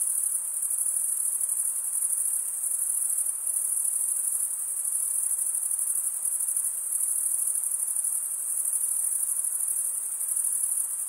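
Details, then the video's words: Crickets stridulating, a sound usually made by males rubbing one wing's toothed vein against the other: a dense, steady high-pitched trill that runs unbroken for the whole stretch, with faint pulsing and no other sounds. "Most relaxing cricket sound for 8 hours"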